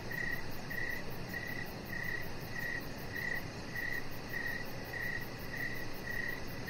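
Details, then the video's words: Outdoor evening chorus of crickets by a deck: brief, bright, trilled chirps repeating steadily about every 0.6 seconds, eleven in all, with a faint, rapid high-pitched pulse train and low ambient noise. "Cricket Sounds"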